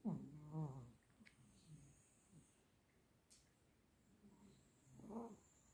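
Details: Borzoi asleep in REM sleep snoring: a low, buzzy rumble opens the clip, then soft breathing and faint clicks, and a second short snore near the end, indoors and otherwise quiet.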